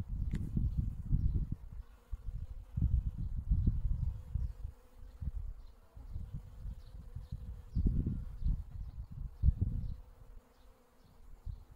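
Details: Spring honey bee at work on wintercress (Barbarea) flowers: a clear, sustained buzzing tone holds across the clip. Repeated deep rumbling gusts and faint, high, short chirps sound in the background.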